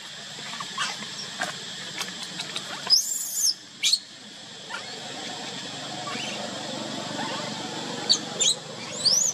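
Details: A baby monkey kept crying alone by its mother gives short piercing squeals, one burst near the start and a few thin rising cries toward the end, with constant high droning background noise throughout.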